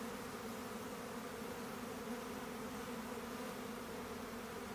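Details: Honey bees swarming, heard as a uniform, busy hum of many wings, a steady low drone with a soft hissing wash over it and no breaks.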